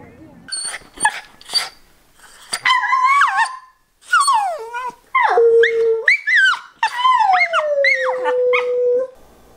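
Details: Wallace, a pet Old English Sheepdog, voices what is on his mind to his owners: a run of wavering, yodel-like howls and whines sliding up and down in pitch, ending in a long falling moan, with brief human voice nearby.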